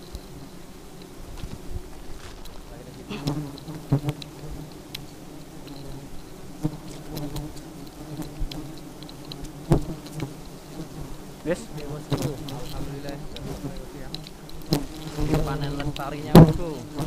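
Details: Very aggressive honey bees buzzing: a low, steady hum with layered overtones that grows louder after the first few seconds, broken by sharp clicks and brief swooshes as bees fly close past.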